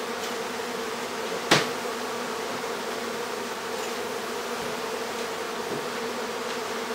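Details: Bees from a house hive in Aderet during removal. The droning is even and unbroken, with one sharp knock early on and a few faint clicks later.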